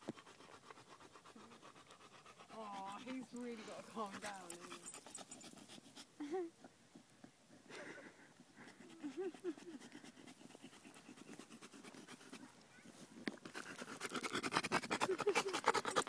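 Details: After a one-mile run on a hot day, Marley, a male bullmastiff–bull terrier mix, pants fast and steadily, roughly three breaths a second, while people talk over him at intervals.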